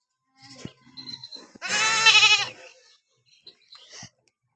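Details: Domestic goat protesting a bath with one loud, tremulous, buzzy bleat of about a second. Softer handling noises and light background sounds come before and after it.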